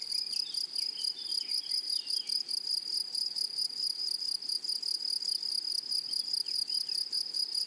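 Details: Unbroken high-pitched insect trill from grasshoppers in a flowery meadow, evenly pulsed and shimmering, with a few faint slurred chirps early on and quiet rustling background.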